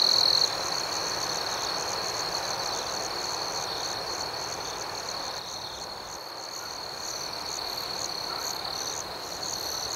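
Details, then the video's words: Crickets at night open with a loud, bright trill that quickly drops back into an even, high-pitched chirping chorus with gentle pulsing overtones. "Soothing Cricket Sounds"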